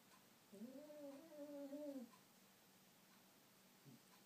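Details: Sleeping female pet dog indoors, squeak-snoring: one drawn-out, high, tonal squeak that wavers gently for about one and a half seconds in a quiet room.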